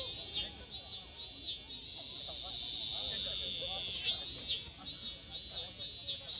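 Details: Cicada song from a Japanese summer, 2022, with quick series of sharp, buzzy pulses in short runs, a brief lull midway, over a continuous shrill drone and faint lower chatter.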